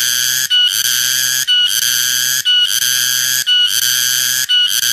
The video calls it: Suara tonggeret/ garengpung/ keriang Terbaru video